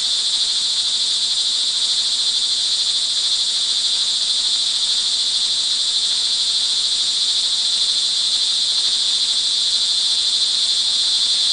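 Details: Montalban, Rizal, Philippines, June 24, 2011, early evening in the rain: a thick chorus of crickets gives a steady, high-pitched ringing buzz that never breaks, with a faint low background hum.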